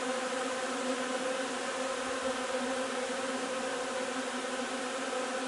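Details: Honey bee hive during the linden nectar harvest on 3 June, steady dense buzzing of many bees with a constant even drone and a strong low hum, no pauses, no other clear sounds.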